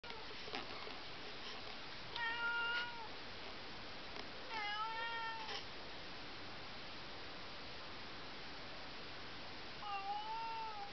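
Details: Smudge the cat calling from behind a closed bedroom door in the middle of the night: three drawn-out meows, the middle one sharply rising, spaced several seconds apart over a quiet hissing room background.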